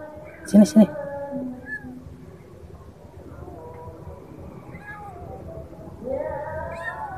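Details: Kampung kitten that has fallen into a hole. Two short loud calls open the recording, followed by faint, thin meows that rise and fall, and a louder rising meow near the end, all over steady background music.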